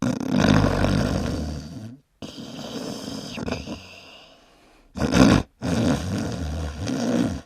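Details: A sleeping dog snores loud and rough, with deep grating breaths broken by a brief silence and a sharp, heavy snort near the end.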